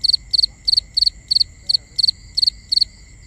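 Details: Cricket at night producing bright high-pitched chirps, each a quick triple pulse, repeated steadily about three times per second, with a faint continuous high drone and light low noise underneath.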